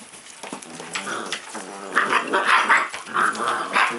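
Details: Playful puppy giving a rapid run of gruff, harmonic growl-barks. The sounds grow louder and higher after the first second and come in uneven bursts, with no other clear sounds.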